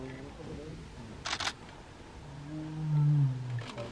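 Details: A tiger cub in zone 4 of Ranthambore National Park gives a loud, deep, drawn-out moaning roar, with camera shutter clicks just before.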